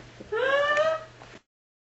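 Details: Jeff, a pet Patterdale Terrier, making talking-like vocal sounds while chatting with his owner: a single rising, drawn-out whining note of about one second, clear and tonal with harmonics, indoors over a faint low hum.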